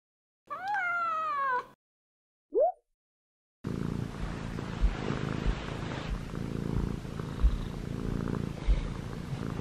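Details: Male Munchkin short-legged cat, six months old, purring while kneading on pajamas: a short falling meow and a brief squeak first, then a steady low rumbling purr with soft pulses that continues to the end.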